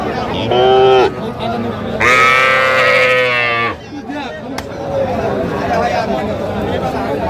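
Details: Calves at a Dhaka-area cattle market in Bangladesh, with heifer calves on offer; a short bleating call is followed by a longer, strained moo, then crowd talk and bargaining voices continue.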